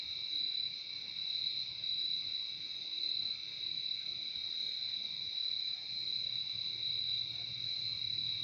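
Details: Steady shrill trill of crickets in nature, recorded as a soothing sleep sound; the insects ring nonstop in two high layered tones, with faint low rumbling noise underneath.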